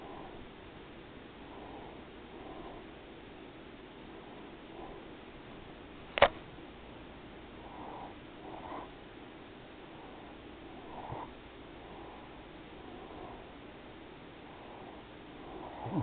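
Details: Daisy, a pet cat, rests and purrs softly indoors. The soft purr swells and fades in breathy pulses about once a second, with a sharp click midway through.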